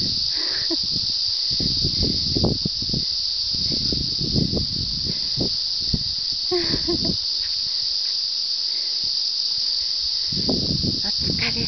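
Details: Great chorus of cicadas already under way on a cool summer morning highland run with a Hokkaido Dog and a Saluki, before a hot day: a steady, unbroken high buzz throughout, with footfall-like thumps and brief voices underneath.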